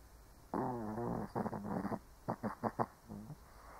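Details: Old Shih Tzu asleep, snoring: a long harmonic rattling snore, then a cluster of short, sharp snorts, and a quieter final breath, all in a low nasal register.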